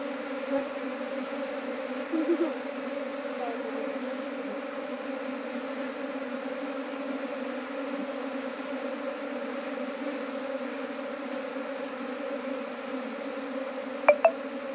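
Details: Honey bee colonies in a small apiary, expanded from one hive to nineteen within two months, give a constant low hum across the whole stretch, broken only by two short taps at the end.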